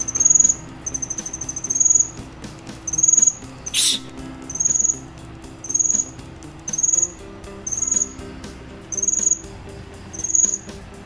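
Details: Cricket chirping in high, pulsed trills, short bursts repeated roughly once per second, about ten bursts in all, with one brief sharp click midway and a faint low background hum.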